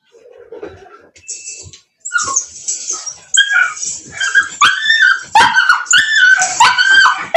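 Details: Several Cane Corso dogs at a breeder near Nashville, Tennessee, crying together: overlapping piercing yelps and whines that build into a dense, continuous chorus of squealing calls, with a faint voice early on.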